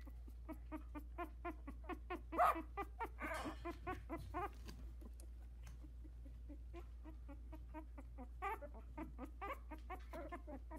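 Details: Litter of four 16-day-old Havanese puppies in a whelping box, brothers taking first steps, give rapid high squeaks and whimpers, many short harmonic yelps in quick succession over a steady low indoor hum.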